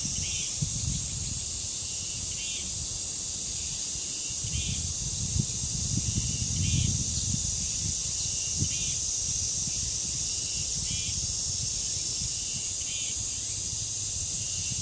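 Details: Cicadas singing at a village shrine grove in Korea, a dense steady high-pitched hiss holding without break, with short repeated chirps every two seconds and low rumbling wind gusts.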